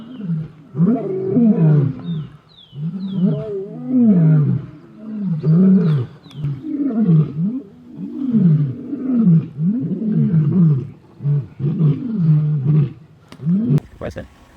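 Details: Four male lions of the Nkuhlu coalition roaring as they chase an unknown male back from the Sabie River, Kruger National Park, on safari; repeated deep grunting roars with rising-falling arcs, about ten bouts over fourteen seconds, a sharp click near the end.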